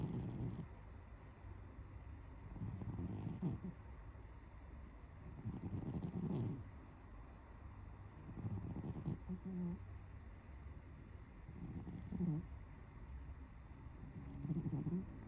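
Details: Domestic cat asleep and dreaming after lunch, snoring in slow cycles: about six low, grating breath bursts spaced some three seconds apart, with faint wheezy rises between them and a constant low background hum.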